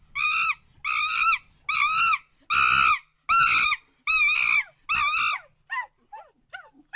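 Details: Monkey screams used to mark territory limits against strangers: seven loud, rich, harmonic calls at roughly one-second intervals, each slightly wavering, fading into a few thin, short, downward-sliding cries.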